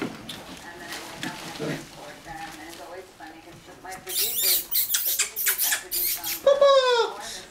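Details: German Shorthaired Pointer puppies, five weeks old, from Sh Ch Barleyarch Persia and Sh Ch Barleyarch Paxo; thin high squeaks and whines, ending in a loud falling yelp, over human speech and rustling.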